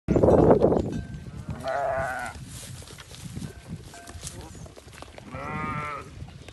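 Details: South African Boer goat on a farm giving two wavering, nasal bleats about three seconds apart, each under a second long, after a loud low rumbling burst at the start.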